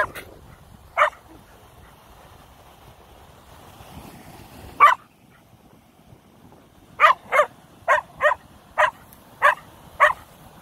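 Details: Koda, a Keeshond that fears feathers, barking at a feather: two single sharp barks, a third near five seconds, then a burst of six quick barks spaced under half a second apart.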